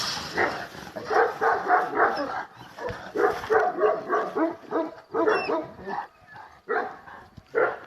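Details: Purebred wolf-hunting Kangal of the panter line, fearlessly confronting a wolf: rapid runs of harsh barks, about three per second in bursts separated by short pauses, rough and broadband throughout.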